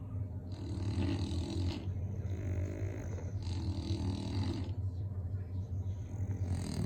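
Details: Snoring from two English bulldogs: long grating inhalations about every three seconds, each lasting over a second, above a continuous low throaty rumble.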